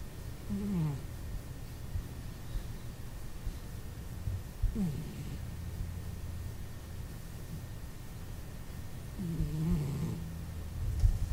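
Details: Domestic cat named Chris, a heavy snorer, asleep indoors: three low rumbling snores spaced about four to five seconds apart, each with a brief wheezy, slightly squeaky upper tone, over a steady low background hum.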